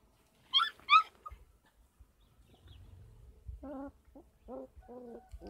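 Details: Kangal puppies, 33 days old, raised on a dog farm. Two high, wavering whines open the recording, followed after a quiet gap by a run of lower, harmonic yips and whimpers in quick succession.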